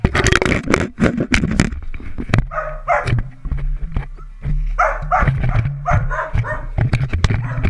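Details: Dalmatian puppies at play indoors, yapping in short bursts: a pair of high barks near the third second, then a run of four quick barks later, with loud thumps and scuffling throughout.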